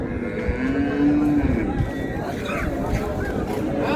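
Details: At Raniganj cattle market in Dinajpur, Bangladesh, with dairy cows and calves present, a fairly faint, short moo rises gently and fades early, amid steady crowd chatter and voices.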